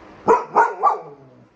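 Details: Golden Retriever puppy barking: three quick sharp yappy barks in under a second, evenly spaced, followed by quiet.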